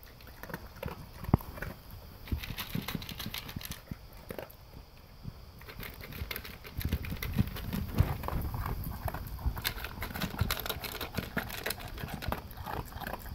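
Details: English cream Golden Retriever eating dry kibble for breakfast from a blue slow-feeder bowl with concentric circles: steady crunching and clattering bites, with kibble rattling against the bowl throughout.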